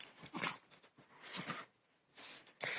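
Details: Pet dog making a weird, funny noise during play: breathy, wheezing puffs in short bursts with gaps between them, ending in a sharper, louder burst.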